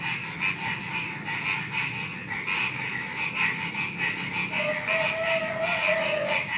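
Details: A dense chorus of frogs croaking and trilling together with crickets and other small animals at night just before dawn, in a steady, overlapping din.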